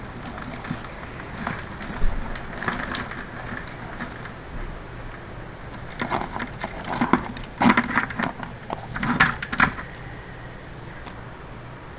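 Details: Rustling and scraping bursts over a low background hum, with no animal voice heard.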